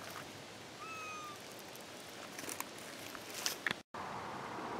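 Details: Kitten from a newly found litter of four, giving one thin, high mew of about half a second that holds steady in pitch, with a soft outdoor hiss and faint rustling behind it.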